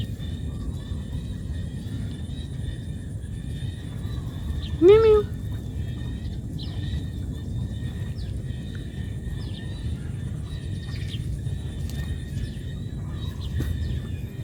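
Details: Cat calling its mother because it needs food: one short, loud meow rising then falling, about half a second long, standing out over a steady low rumble and faint high chirping in the background.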